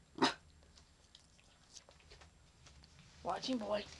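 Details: Little Man, a young dog not yet a year old, barks to warn that someone who should not be there is near the yard: one short, sharp bark, then a person's voice speaking softly in a quiet room.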